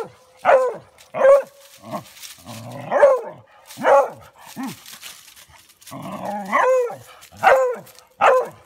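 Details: A female beagle, who only barks when scared, gives loud, ringing barks about once a second, some stretched into short baying yelps, at a deer.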